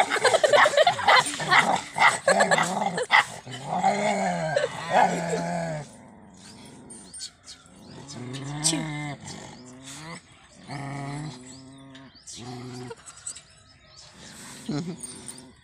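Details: Pandikona puppy during a courage test, giving drawn-out tonal growling whines that arch up and down in several bursts, with a loud, noisy, clattering stretch at the start.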